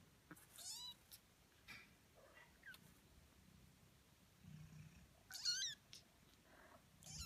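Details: Eighteen-day-old kittens giving short, very high squeaky mews, some bending upward, scattered across the clip with quiet gaps and faint low purring between.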